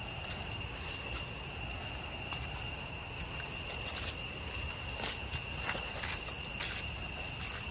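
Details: Cicadas in deep jungle along the way to Chhay Yong Waterfall, Areng area, Koh Kong Province, Cambodia: a steady, high, layered buzzing drone with several constant tones, overlaid by soft footsteps on the trail.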